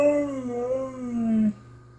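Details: Blizzard, a talking husky, gives a loud voiced howl that rises, wavers and slides downward over about one and a half seconds, with strong clear overtones, then stops, leaving a steady low hum.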